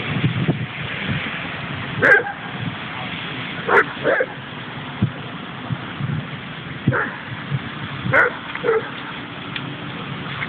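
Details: Dogs, including a Leonberger and Pyrenean friends, playing in a dog park at Lade in Trondheim, Norway; short scattered barks and yips at about two, four, seven and eight seconds over steady low background rumble.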